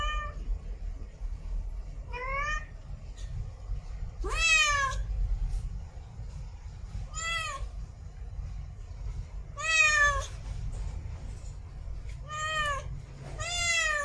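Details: Female domestic cat in heat calling to mate: a run of harmonic meows, some short and rising, others longer and falling, roughly every two to three seconds, over a low background hum.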